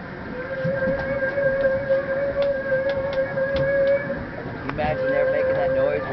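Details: Recorded by hydrophone under a whale-watching boat north of Juneau on 1 August 2009, a group of 12–14 humpback whales gives a long, steady trumpeting feeding call that briefly drops and returns as they rise bubble-net feeding on herring beside the boat; people talk quietly.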